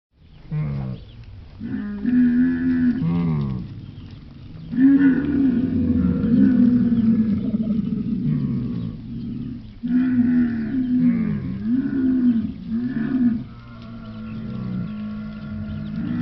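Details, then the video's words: Camel giving a series of deep, harmonic groaning bellows, each lasting one to three seconds with wavering pitch, separated by short pauses; the last call tails off into a softer, drawn-out moan. "Звуки верблюда: какие звуки издаёт верблюд"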